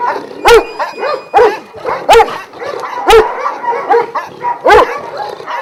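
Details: Barking from a kennel of twelve Vujanski-line Šarplaninac dogs in Jasika near Kruševac: hoarse, forceful barks every half second to a second, several dogs overlapping in a steady chorus.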